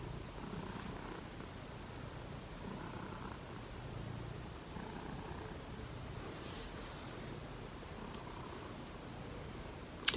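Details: Cat purring on a cold morning, a continuous low rumble that swells gently in slow pulses every second or two, with a sharp knock at the very end.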